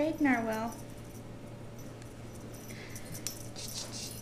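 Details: Eight-week-old RagaMuffin kitten from the Vikings litter gives one clear, loud meow that starts high and slides downward, followed by quiet room hum and light jingling rustles.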